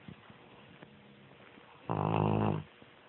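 A Bloodhound gives one loud, deep, rattling snore lasting under a second, amid quiet breathing.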